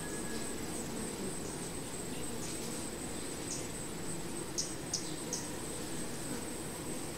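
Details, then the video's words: Steady buzzing of honey bees at a hive, low and continuous with no clear pauses. A fine high-pitched whine holds steady over the top, with a few brief ticks toward the end. "BEE HIVE RAW VIDEO"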